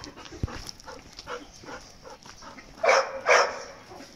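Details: Playful Golden Retriever puppy: scattered soft huffs and scuffles, then two loud, sharp puppy barks in quick succession near the end.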